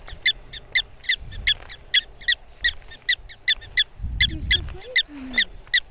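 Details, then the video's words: Prairie dogs protesting human presence close by: a steady string of short, high, clipped barks about every third of a second, with a brief low murmur of people partway through. "Prairie Dogs complaining about human presence."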